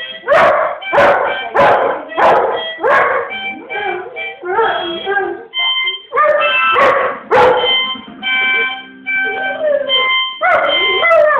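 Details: A male chocolate Labrador Retriever howls in wavering, drawn-out notes, singing along to steady harmonica tones.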